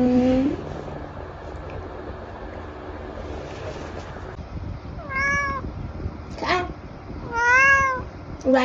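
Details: Tabby cat indulging in treats, giving a series of short, rising-then-falling meows, some clear and tonal, others brief and squeaky, spaced a second or two apart over a steady indoor background hum.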